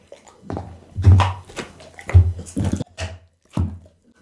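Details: Bounce, a pit bull, crunches raw food including lamb backbone and horse meat, recorded with an Insta360 ONE R; heavy, bassy thuds and crunches arrive in bursts roughly once a second, separated by short quiet gaps.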